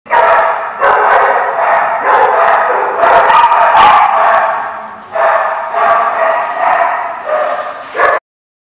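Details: Dogs barking, recorded 12/8/14, a dense, nearly continuous run of loud, overlapping barks and yips with brief gaps, about ninety bursts a minute and uneven in rhythm.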